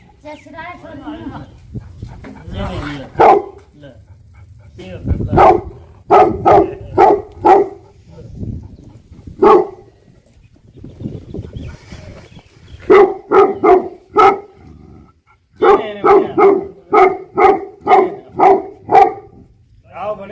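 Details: Bhote Kukur, the Tibetan Mastiff guardian dog of Nepal, giving scattered booming barks among human voices and background murmur, then two rapid bursts of repeated barks, each a quick string of loud woofs.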